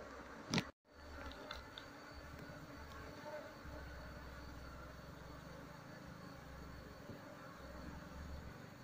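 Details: Honey bee colony being moved out of its nest in a speaker box into a cultivation box while its queen is searched for; a steady, low, droning hum runs throughout, after a sharp knock and a brief drop-out near the start.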